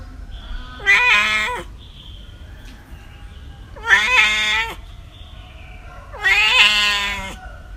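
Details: Three loud, rich meows from cats and kittens, each under a second and evenly spaced about every three seconds, with a bent downward tail on the last, steady low hiss behind.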